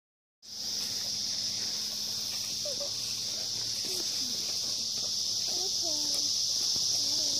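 Cicadas drone in a steady, high-pitched buzzing chorus that never lets up.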